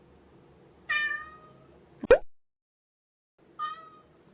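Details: Leo, a male American Curl cat born May 2019, gives two drawn-out, wavering meows that sound like a baby crying, with a sharp tap between.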